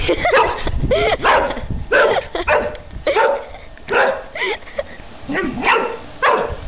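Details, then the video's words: Airedale Terrier on his first birthday barking excitedly at bubbles: a rapid series of sharp, harmonic barks, some sliding upward into yelps. A person speaks in the background. "airedale barking at bubbles"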